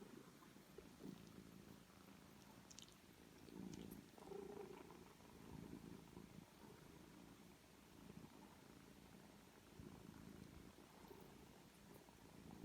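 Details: Three-week-old foster kittens and their small mother cat in rescue care indoors; a continuous low purr with rhythmic rumbling pulses, rising briefly louder near the middle, with faint small clicks.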